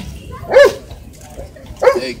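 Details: Two separate short yaps from a Shih Tzu pet dog, spaced more than a second apart, bright and clipped, with little else around them.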